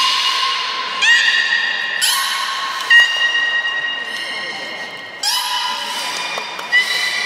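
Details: Training session with the three belugas Gray, Nana and Niko at Port of Nagoya Public Aquarium, 14 October 2019: a run of buzzy, reedy tones, each starting abruptly and repeating about once a second, with a few sharp clicks.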